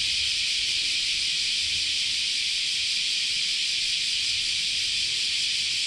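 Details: Dense wall of cicada song during summer at Chionji Temple, Kyoto, Japan: a constant sizzling high buzz, evenly loud from start to finish, with a faint low rumble now and then beneath it.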